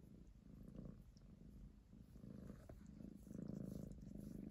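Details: Domestic cat purring on 19 January 2023, one of two pet cats; a steady low rumbling throb pulses rapidly and continuously, swelling slightly louder toward the end, in a quiet indoor setting.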